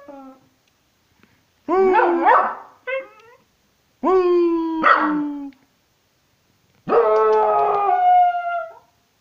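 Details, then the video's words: Howling patterjack, aged one year five months, singing along: three wavering howl bouts of two to three seconds each, roughly evenly spaced, starting with rough yelping, bark-like onsets that give way to steadier, falling tones. "Sing along with Taki the patterjack"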